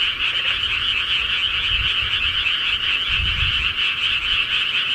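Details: Rural night frogs in full chorus: countless rapid, pulsing croaks blend into one loud, even trilling drone, with soft low-pitched thumps in the background.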